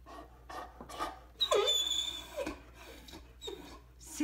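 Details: Max, a Great Dane, complains and refuses to get out of bed indoors; high whining glides that drop sharply in pitch, then shorter whimpers near the end, mixed with people talking in a small room.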